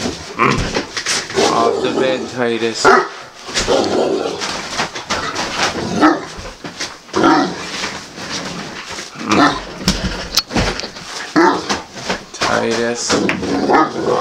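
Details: Great Dane Titus, a male pet indoors, refuses to get off the bed and answers with low, drawn-out groaning and grumbling vocal bursts. A person keeps saying his name and ordering him off the bed, with bedding rustle.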